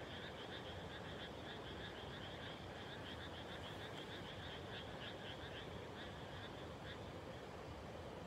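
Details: Rice-field frogs in the evening right after planting, 30 May 2021: many voices overlap in a continuous rattling chorus of quick pulsed croaks, a steady low rumble of distant noise beneath.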